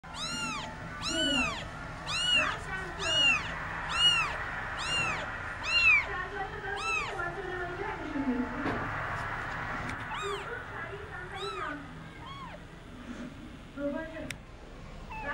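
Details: Kitten, an Indian street cat, crying while playing: a run of rapid, high, arched meows about once a second for six seconds, then scattered softer mews, with a faint hum and some voices behind.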